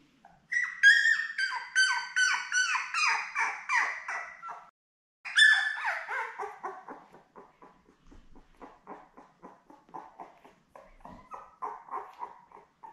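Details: Labrador Retriever pups, part of a seven-strong litter born May 24, 2021 with their mother Belle, filmed on a June 4 puppy cam: two bouts of rapid, squeaky whimpers, loud at first, then trailing off into quieter rhythmic mewling.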